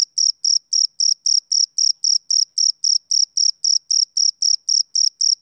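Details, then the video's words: Rhythmic shrill pulses from a male cricket, typical of summer evenings, arrive at about four per second, each short and bright, roughly twenty in total, over complete silence. "Cricket Chirping Sound Effect"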